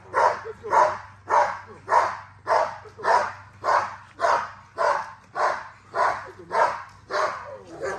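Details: Steady barking from a female XL American Bully being exercised, fourteen evenly spaced, full-bodied barks at just under two per second, with a faint low hum in the background.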